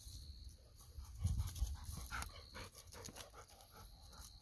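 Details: Golden Retriever outdoors near mandarin and persimmon trees, one of two pet dogs, Bis and Kohaku, with Kohaku pressing for a mandarin; quick breathy panting puffs come in an uneven run, loudest midway, over faint rustling and background hum.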